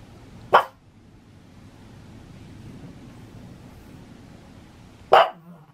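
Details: Barking at thunder, a pug in Saitama, Japan, 6 May 2020, lets out two loud, abrupt single barks about four and a half seconds apart, with faint low background noise between them.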